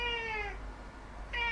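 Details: Domestic cat recorded 18 September 2016, giving two meows: a drawn-out, slightly falling harmonic call lasting about half a second, a brief pause, then a second meow starting near the end, over a steady low hum.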